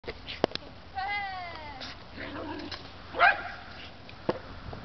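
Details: Beza, a Shetland Sheepdog, training with a frisbee, gives a high whine of about a second with stacked wavering harmonics, then a sharp loud yelp follows amid soft human voices and thuds.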